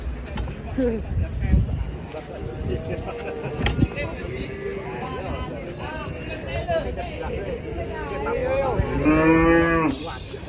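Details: Cattle being loaded onto a truck, giving drawn-out moos, ending in a loud strained bellow at nine to ten seconds, with men shouting instructions, handling noise and rattling around them.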